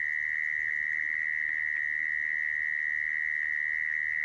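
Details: Brief stretch of a mole cricket's continuous high buzzing trill, used to attract mole crickets for trapping, even in pitch and volume with light hiss behind.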